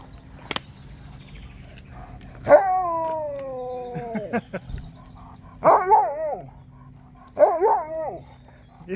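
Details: Husky crying with joy at seeing people: a long sliding whine that falls in pitch, then two shorter wavering yodel-like cries, with a person laughing and talking to the dog between them.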